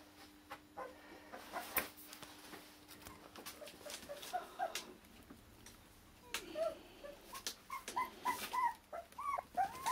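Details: Akita puppies from Hungary, born 16 November and waiting for new homes; faint scattered squeaks give way to a busier stretch of high, bent whimpers and yelps near the end, with clicks and a faint hum.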